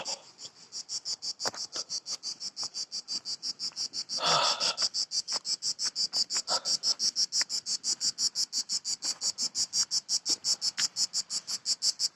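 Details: Cicadas calling in trees on a Croatian island near an ancient wall: a dense, high-pitched buzzing chorus pulsing in rapid regular beats, about three per second, with a brief burst of human noise partway through.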